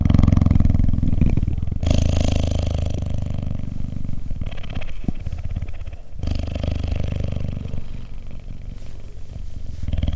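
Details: Low rhythmic purring from a cheetah being cuddled, a rapid pulsing rumble with a few brief pauses and changes between breaths.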